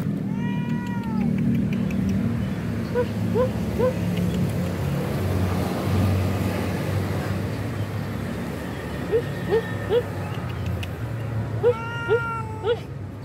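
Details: Stray mother cat being fed on the street gives a long falling meow, then quick squeaky chirping notes in runs of two or three, and a final meow near the end, over constant low road noise.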